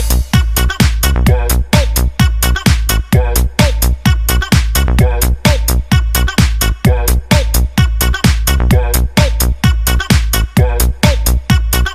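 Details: Electronic dance music with a steady pounding bass beat throughout and no animal voice.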